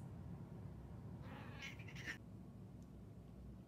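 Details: A 14-year-old female Siamese cat, said to say the word "cheese," gives one drawn-out, rising and falling meow over a steady low room rumble as her owner repeats "cheese."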